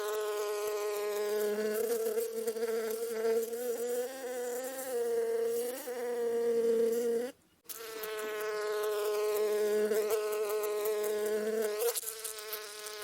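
A bee's steady, droning wing buzz, rising and falling slightly in pitch as it flies close by.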